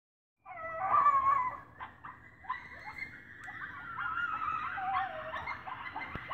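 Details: A coyote pack very close outside a house howls together, possibly set off by sirens, in wavering, overlapping high notes broken by short yips; dogs howl along, and the coyotes stop once a dog joins in.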